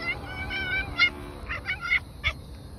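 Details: Boncuk, a pet cat called to come and eat, gives a quick string of about six short, chirpy, tonal meows within under three seconds, bright and slightly rising, with a person's voice calling it before and after.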